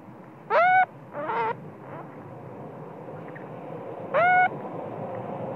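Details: Spoiled baby monkey angrily crying at its mother when sleepy, even during breastfeeding. Shrill, rising harmonic squeals, a short pair of yelps early on, then one more piercing cry after a pause, over steady low background noise.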